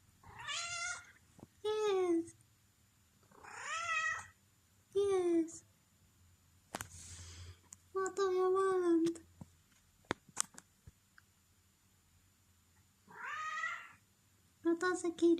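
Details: Female pet cat begging for food, meowing over and over in short chirpy and longer wavering calls, some rising and others dropping, with a person talking to her between the meows indoors.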